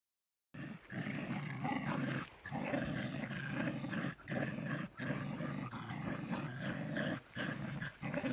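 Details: Two tricolor Shetland Sheepdogs, Cherry and the lighter Sammy, playing tug of war; continuous rough growling in long bursts broken by short pauses, low and throaty, with no other clear sounds.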